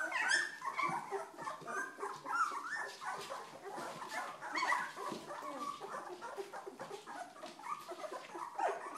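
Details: A litter of two-week-old Old English Sheepdog puppies, active and noisy, produces a continuous chorus of thin whimpers and small squeals mixed with rustling movement.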